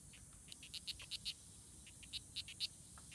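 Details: Strawberry poison dart frogs fighting at La Selva Biological Station near Sarapiquí, Costa Rica, on June 24, 2016: short bright chirps in tight clusters, about four per second with brief pauses, over a steady high insect hum.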